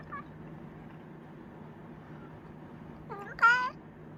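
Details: A Chinchilla cat lets out a faint, brief meow, then falls quiet. After the pause come two quick meows, the second louder and longer with a wavering pitch, above a low hum.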